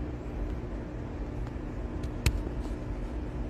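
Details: Steady low rumble of passing road traffic outdoors, with one sharp click midway and no animal voice.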